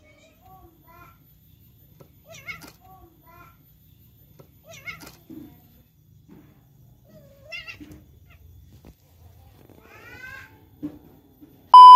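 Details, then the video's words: Domestic cat, a male named Tata, meowing after being repeatedly rejected by a female named Nana; several harmonic meows near 2.5, 5, 7.5 and 10.5 seconds, some short and some drawn out, in a quiet small room, ending in a sharp electronic tone. "KUCING MEONG MEONG KASIHAN DI TOLAK DAN DI MUSUHI OLEH BETINA"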